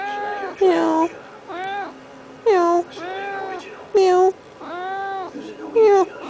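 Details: A male pet cat named Norman Bates talks at length while demanding to be petted: a run of drawn-out, bending meows, some rising then falling, coming every second or so, with a human voice murmuring between them indoors.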